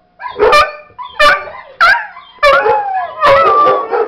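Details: Domestic dog Macon howling along with recorded barking from dogs Sidney and Shadow: a few short yelping howl notes that bend upward, then a longer wavering howl at the close.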